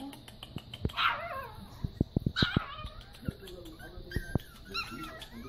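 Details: Chihuahuas greeting a person, saying hello: two bright, rising yelping cries around one and two and a half seconds, amid handling thumps and a woman's voice coaxing them to say hello.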